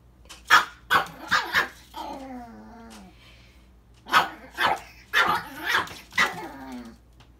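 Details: A male Chihuahua mix confronting his own mirror reflection gives quick high barks, then a drawn-out falling whine, before barking again in an irregular volley.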